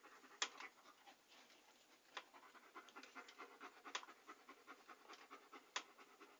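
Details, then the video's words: Dog panting softly and steadily, a close, breathy, rasping rhythm of quick in-and-out breaths, broken by a few sharp wet clicks of the mouth or tongue; quiet, with no other sounds. "A Panting Dog ASMR"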